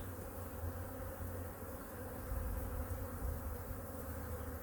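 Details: Honey bee colony in hive #2 during a winter weekly checkup, with food reserves examined and feeding. A steady, low humming buzz with layered tonal bands is heard under a heavy rumble, swelling slightly midway through.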